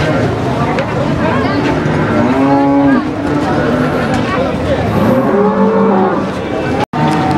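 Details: At the Warujayeng cattle market, where heifers ready for breeding are traded, cattle give long, low moos. Two main drawn-out calls, one near the middle and one later, sound over constant crowd and market din.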